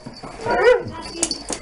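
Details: Young puppy Harley at fifteen weeks, first meeting a large Siberian Husky named Lasky; a single rising-falling whiny yelp lasting under half a second, followed by soft clicks and rustling indoors.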